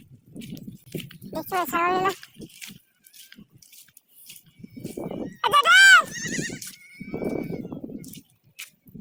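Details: Goats kept by a herder: two loud, wavering bleats with strong harmonic bands, one early and a longer one near the middle, among people talking outdoors.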